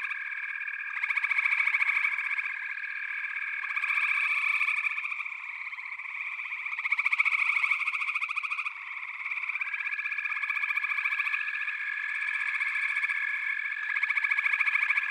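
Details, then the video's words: Dense frog chorus from a backwater: overlapping trilled and pulsed calls in steady bands, swelling louder every couple of seconds, with several callers layered continuously throughout. "Backwater Chorus, & Frog Chorus"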